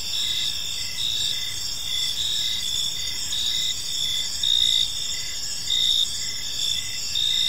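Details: Evening park ambience of chirping crickets, several high shrill trills running continuously while lower pulsed chirps repeat about once every second.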